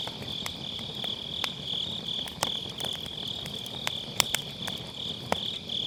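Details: Autumn-night grass insects near a campfire in a round fire pit, captured on a Sennheiser MKE600 with low cut; their shrill, rapidly pulsed trill holds constant while firewood snaps and crackles now and then.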